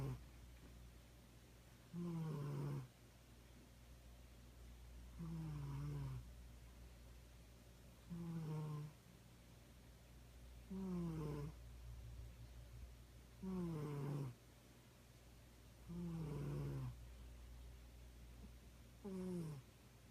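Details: Cat snores in a quiet indoor room: raspy, slightly descending breaths of under a second, recurring about every three seconds, seven in all.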